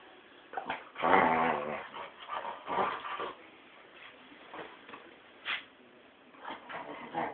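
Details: Mumrik the Tibetan Terrier going nuts in a small room: a drawn-out, harmonic growling whine early on, then scattered short yips, snorts and grumbles separated by brief pauses.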